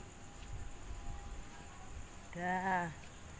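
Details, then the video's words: Cat seeking a mate gives one drawn-out, steady, tonal meow of about half a second that is rich in overtones and falls slightly at the end, over a constant high insect hum and low background rumble. "Kucing mencari pasangan"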